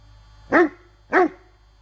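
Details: Rhodesian Ridgeback dog in the woods, baying at a branch during bark command training: two loud, short, deep barks about half a second apart, otherwise quiet.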